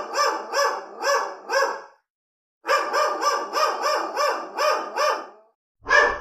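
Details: Real recording of angry dogs: four evenly spaced barks, a pause, then a faster series of about eight barks, and a final loud single bark.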